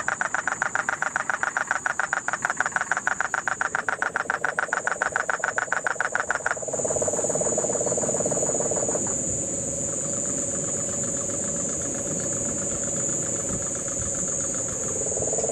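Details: Puerto Rican crested toads call in the Guánica Dry Forest, Puerto Rico, in the September 2007 rains. Loud, rapid, rattling pulses run for about six seconds, then a lower continuous trill follows. A steady high insect whine persists, with cane toads in the background.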